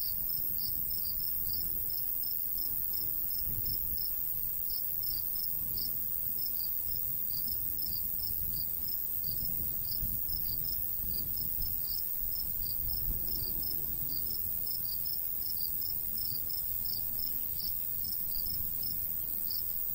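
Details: Crickets calling in a summer wheat field in the countryside, light breeze: high chirps, often in close pairs, repeat steadily for the full stretch above a low, breathy wash of wind.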